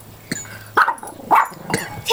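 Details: Female pet Pomeranian indoors barking madly at the mailman during a delivery: four short, harsh barks roughly half a second apart over a low household hum.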